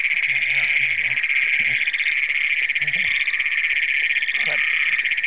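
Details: Great Plains toads, the first documented in Brown County, Minnesota, calling at night on June 27, 2010; a loud, unbroken high metallic trill fills the whole stretch while a man speaks briefly in low tones over a faint steady whine.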